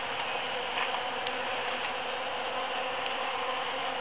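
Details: Busy bees foraging through huge cactus flowers after the June 22, 2013 Super-Full Moon; a steady, dense hum of many wings blends into one even drone, with faint ticks scattered throughout.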